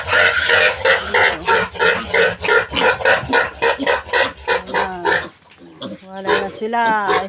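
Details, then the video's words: Piglets of a newly farrowed sow during weaning give loud, harsh, broadband grunting squeals repeated about three times a second, then fall quieter while people talk close by in Tagalog. "Pagwawalay ko sa mga biik ng bagong inahing baboy"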